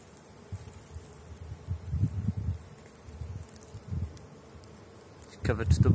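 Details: Honey bees at the Bee Royal apiary on 6 April, at the start of willow blossom: low droning buzz in short swells as bees fly past the microphone, ending in a sudden loud rustle.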